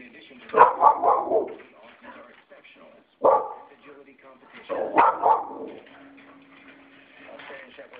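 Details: Five-year-old adopted female Australian Kelpie barking in excitement at Australian Shepherds on television: three sharp, irregularly spaced barks, some doubled, over background television audio and a woman's voice.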